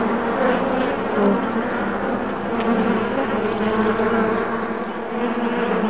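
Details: Swarm of honey bees, July 8, 2016, producing a continuous thick droning buzz, layered low tones wavering slightly in loudness, with a few faint clicks above.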